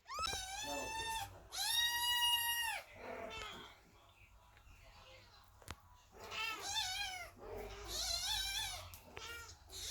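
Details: Cats and kittens sit by the door meowing while Chloe the cat gives birth, worried for her; two long, strong meows, a sharp click, then a cluster of overlapping wavering meows, with steady low hum throughout.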